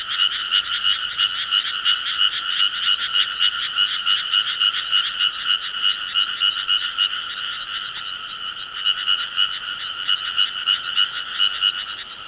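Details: Dense rural frog chorus on a summer night-time scene, many frogs giving fast, regular, rasping pulsed croaks that hold steady throughout, dipping slightly in loudness midway before rising again.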